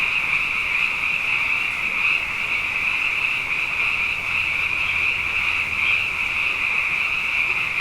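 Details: Massed frogs at night, abundant following two wet years, sing a continuous high trilling chorus that holds steady throughout, with slight beats and flickers in the shimmering tone and a faint low hum underneath.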